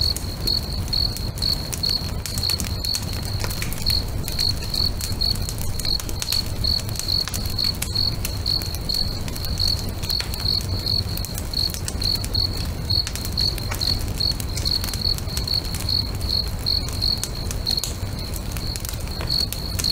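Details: Evening chorus of crickets by a lake, a continuous train of evenly spaced, shrill chirps running the whole time, set against dense crackling and popping from a nearby bonfire and a soft low rumble.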